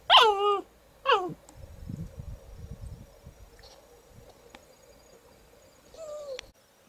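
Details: Miniature poodle puppy and older poodle at home in June 2013: two shrill, falling yelps in quick succession, a few seconds of low shuffling, then a thin whining whimper, over a steady electrical hum.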